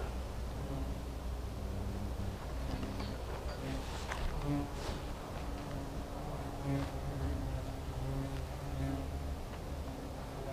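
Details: Continuous wing buzz from a hornet nest, a dense low drone with layered steady tones that swell and fade slightly, scattered sharp ticks and knocks throughout.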